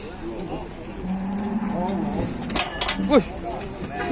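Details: Cattle being brought out of their pen at an Indonesian farm. A low, drawn-out moo holds steady and rises slightly over about one and a half seconds. People talk throughout, and a brief high sweeping sound comes near the end.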